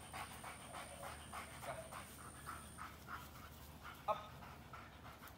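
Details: Belgian Malinois panting steadily, quick rhythmic breathy bursts about twice a second, with a faint steady high tone during the first half and a brief click near the end.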